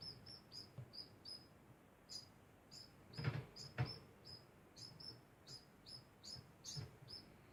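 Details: Degu giving a constant stream of short high chirps, nearly two per second, interrupted midway by two loud clicking knocks, with soft low bumps throughout.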